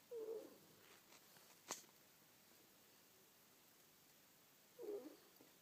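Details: Sleeping pet ferret snoring indoors: two short, soft, rasping snorts about four and a half seconds apart, with quiet breathing between and a single sharp click in the middle.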